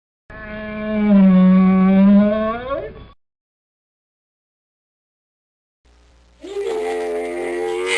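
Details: Camel making a loud, deep, droning moan for about three seconds with a rich, buzzy harmonic tone. After a pause comes a second, rougher, gurgling grumble that rises and holds.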